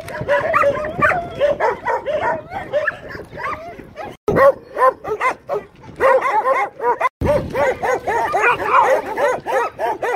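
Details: Amstaff under a grooming brush for loose hair keeps up a continuous chatter of quick, wavering whines and grumbles, tightly packed arched notes with two short gaps, growing busier and higher toward the end.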